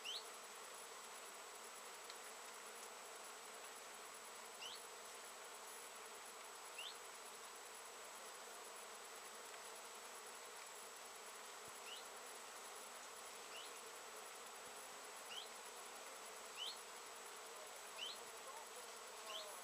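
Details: Honey bees foraging in great numbers on Japanese knotweed bushes, a late-season nectar plant, 14 September 2013; a steady dense hum with short rising chirps recurring every two seconds or so in the background.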